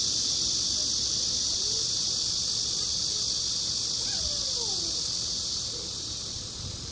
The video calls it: 말매미 スジアカクマゼミ Korean Giant Cicada セミ